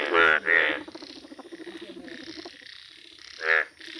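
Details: Yellow Indian bullfrogs calling in nature: two loud, harsh, harmonic croaks open the stretch, a softer pulsing chorus of other frogs runs underneath, and another loud croak bursts out near the end.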